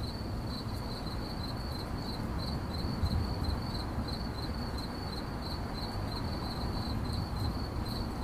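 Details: Cricket chirping rendered in 8D audio: a thin, high, rapidly pulsed trill holds one pitch for the whole stretch, with a steady low rumble beneath.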